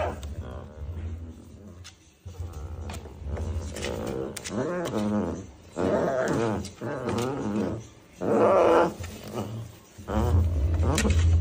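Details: Baby tiger cub giving a series of harmonic, wavering calls, some short and some drawn out, spaced irregularly over a steady low hum.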